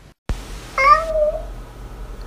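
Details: Angry domestic cat giving one short, harmonic meow that rises then levels off, after a brief silence; a person speaks Mandarin to it just before.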